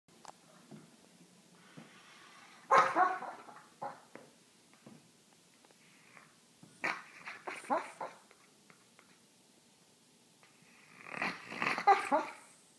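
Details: French bulldog making odd sounds while asleep and dreaming, indoors; short breathy yelps and whimpering bursts come in three clusters near 3, 7–8 and 11–12 seconds, separated by quiet breathing.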